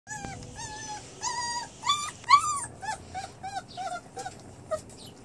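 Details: Bernese Mountain Dog and Great Pyrenees cross puppies eating alongside a kitten, giving high, wavering whimpers and yips in short bursts, several rising and falling tones overlapping, with soft clicking and rustling between them.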